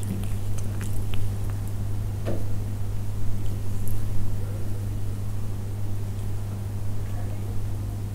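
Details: Persian cats eating up close, with soft wet chewing and biting clicks scattered through the clip over a steady low hum.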